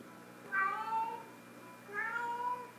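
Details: Pet cat Sofie, a female, playing with her sock toy, gives a pair of clear tonal meows about one and a half seconds apart. Each bends slightly in pitch, with soft background hum between calls.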